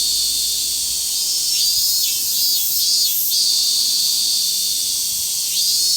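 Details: Grand cicada chorus echoing through a summer forest, chiefly Minmin cicadas, forming an unbroken high-pitched buzzing wash with a few gentle surges around the middle and near the end; nothing else audible.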